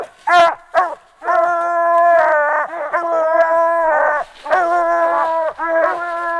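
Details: Young Phrogger hound, six months old, treed at night on its fourth outing, giving loud sustained bawling howls in runs of about a second, separated by short pauses and a few sharp yelps.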